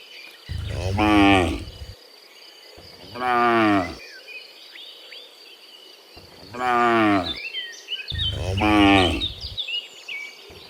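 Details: Cows mooing in the morning as they return from the field to the barn. Four loud, rich, drawn-out moos, each lasting over a second and coming every two to three seconds, with insects and faint chirps in the background.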